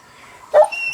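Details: Domestic dog watching cat videos gives one brief, abrupt bark after quiet room noise, with a faint high tone from the screen afterwards.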